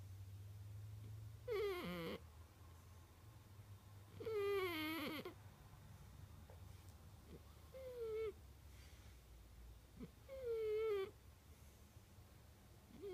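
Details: Cat caught snoring, loud for its size, producing four to five whining, slightly wavering whistle tones on its breaths, some faint and brief, spaced two to three seconds apart above a constant low droning background.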